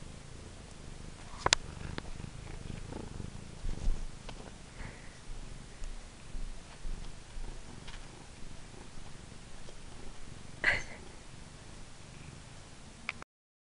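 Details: Pet cat at play with her favourite purple toy mouse, purring in a continuous low rumble, with scattered soft taps, rustles and a short sharp squeak partway through.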